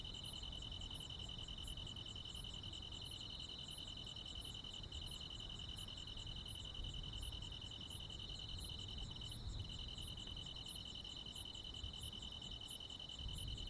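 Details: Rural midsummer night chorus of crickets and insects. One unbroken rapid trill carries on while a second caller adds piercing high chirps roughly three-quarters of a second apart. Low-frequency ambient hum sits beneath.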